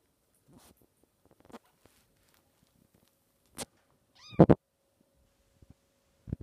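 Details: A litter of young Maine Coon kittens playing in their little park on 11 May 2014, one giving a brief, high, arching mew amid soft thumps and shuffling.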